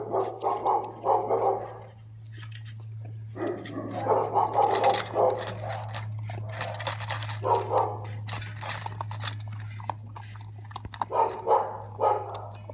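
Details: Dalmatian puppy, a food lover, lets out bursts of rapid, harmonic barking and yelping in clusters separated by pauses, amid scattered clicks, taps and a constant low electrical hum.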